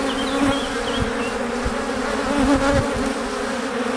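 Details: Swarm of honey bees coming home to the hive after foraging for pollen and nectar, producing a thick, constant buzzing drone with bees zipping by close to the microphone and faint distant bird notes.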